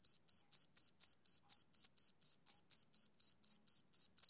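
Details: Male cricket on a summer evening, chirping in a steady rhythm: short, high, bright pulses about four per second, evenly spaced, with no other sounds in the background.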